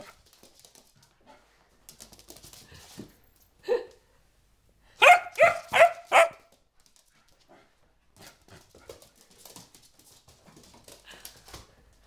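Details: Excited four-month-old springer spaniel Sophia gives a soft yelp, then a fast run of four loud, evenly spaced barks, among faint clicks and household rustling.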